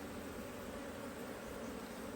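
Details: Colony of honey bees in a HiveIQ hive in Australia, mid-autumn 2023, cloudy with rain forecast, as frames are put back. An even, continuous buzzing drone fills the whole stretch, with no other clear sounds.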